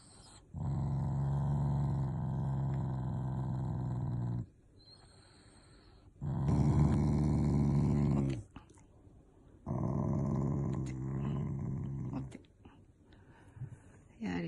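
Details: Shiba Inu growling in protest at being forced to do tricks: three sustained low, rumbling growl bouts of a few seconds each, separated by brief quiet gaps.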